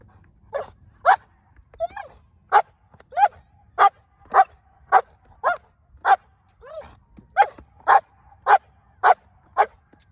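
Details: Female German Shepherd barking on command during hold and bark training, 37 days before an IGP1 trial in Colorado; loud sharp barks repeated roughly twice a second with brief gaps, a handler's voice faintly in between.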